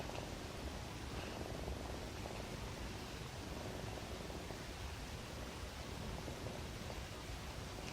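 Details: Pet cat asleep and snoring, said to be dreaming of nursing from its mother; an even, low purring rumble runs throughout, muffled and close, over steady background hiss.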